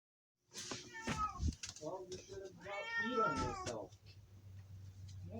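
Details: Domestic cat screaming: two drawn-out, strained wails with stacked harmonics, the second longer and wavering, while a person talks quietly in the background.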